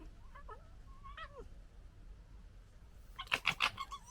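A fox gives thin, wavering whines, then a quick burst of harsh, raspy chattering barks.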